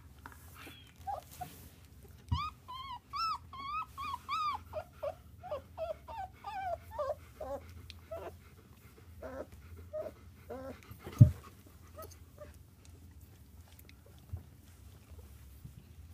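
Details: Three-week-old black German Shepherd puppy being given a belly rub, making a run of high, arched, squeaky whimpers about twice a second for some eight seconds, fading into softer squeaks, then a thump and quiet rustling.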